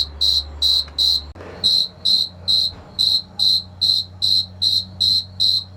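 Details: Wing-rubbing song of a male cricket in Argentina, produced to win a partner: evenly spaced bright, high-pitched chirp pulses repeated roughly twice a second, with a single sharp click early on and a soft low hum behind.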